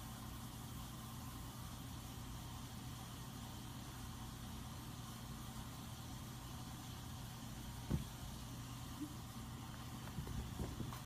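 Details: Low, steady rumble of an idling vehicle fills the recording, with a sharp click near the eighth second and a few faint knocks at the end, but no barking or other animal voice.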